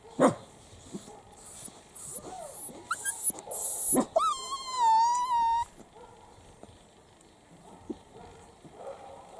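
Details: Playful seven-week-old Italian Greyhound puppies from a first litter, outside in their enclosure. Scattered squeaks build into a drawn-out, wavering high whine lasting over a second, followed by quieter scuffling and soft yips.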